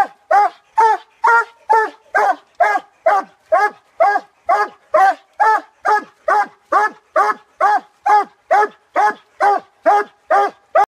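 A Treeing Walker Coonhound barks steadily at the tree, about two loud, ringing barks each second.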